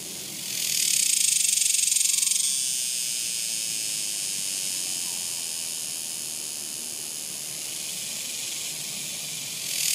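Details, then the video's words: Summer cicada chorus, a bright sizzling buzz that surges loud for roughly two seconds, eases into a sustained even hiss, and begins rising again at the very end. "Cicadas! The sounds of Summer!"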